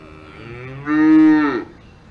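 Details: On a farm in the Alps, a cow moos once, a quiet low onset jumping into a loud flat tonal bellow held nearly a second, ending with a brief falling tail.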